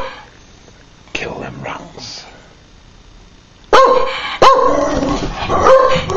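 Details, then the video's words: Patterdale Terrier that dislikes the postman: a person talks quietly at first, then loud sharp barks burst out near the end, followed by harsh growling barks. "Patterdale dont like the post man"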